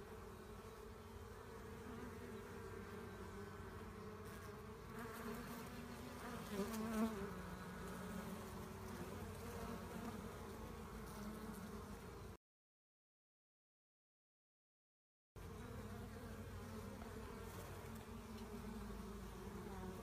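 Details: Buzzing of a honey bee swarm during collection: a thick, steady drone of many bees with a low humming core, briefly cut to silence shortly past the middle before the hum resumes unchanged.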